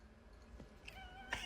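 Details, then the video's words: Cooter, a pet cat called the talking kitty, gives a brief tonal meow of steady pitch lasting under half a second, then a sudden loud sound at the end. "Cooter the talking kitty"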